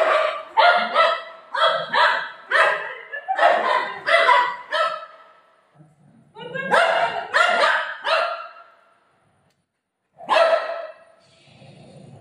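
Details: Golden Retriever Buzo barking during play with his mom: quick bursts of sharp, harmonic barks roughly twice a second, a pause around the middle, another burst, then one lone bark near the end.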